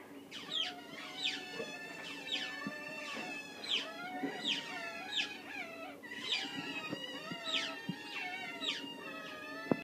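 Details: Otters held in a zoo, waiting to be fed, beg with insistent high-pitched squealing: falling shrieks repeated roughly twice a second in overlapping chorus, with a faint steady hum beneath.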